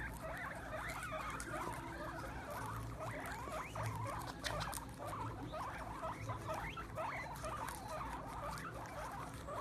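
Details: Guinea pigs gathered at a plate of sprouts on the ground keep up a steady stream of brief upward squeaks, many per second and overlapping, while crunching and pattering sounds of feeding run underneath.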